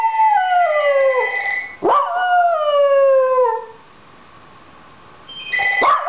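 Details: A pet Dachshund howling because it wants the phone answered. Two long, drawn-out howls each slide steadily downward in pitch, then a short rising yelp closes the clip after a pause.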